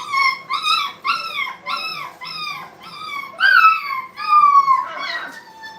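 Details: ['Brittany puppies at play in a training kennel, giving a run of high, harmonic whining yelps, each sliding downward, repeated about twice a second. The last calls grow louder and more drawn out.']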